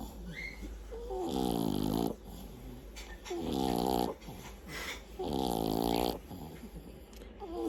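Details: Snoring French Bulldog: three loud, rasping, drawn-out snores about two seconds apart, each lasting around a second, with quieter breathing in between.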